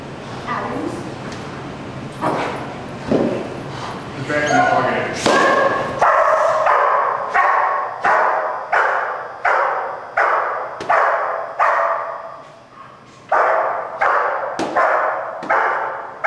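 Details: German Shepherd Dog named Malachai barking during Schutzhund protection training, February 28th 2010: loud, sharp barks repeated roughly every second, steady rhythm after some early mixed sounds and voices at the start.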